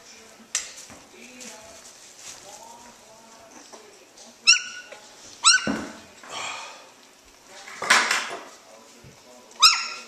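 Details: Havoc's two-week-old puppies wrestling in early play: sharp, high yelps and squeals, some in quick double bursts, spaced a second or two apart. Soft whimpers and a woman's voice fill the gaps, with light clinking in the background.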